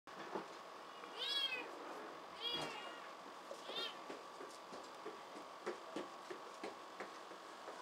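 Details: A crowd of rescued kittens at a cat shelter café in Otsuka, Tokyo, climbing about. Three thin, arching meows come about a second apart early on, then soft tapping and rustling over a steady electrical hum.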